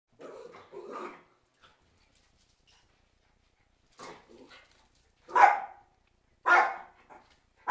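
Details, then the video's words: Cairn Terriers, several dogs, as a storm approaches: soft muffled yaps early on, then after a pause a few louder sharp barks spaced about a second apart, indoors. "Cairn Terriers Storm op komst"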